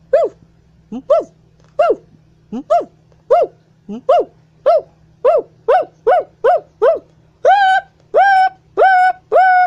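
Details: Siamang gibbon whooping and howling as it swings and hangs on a wire: a steady series of short rising-falling whoops about twice a second, becoming longer and louder, more tonal howls toward the end.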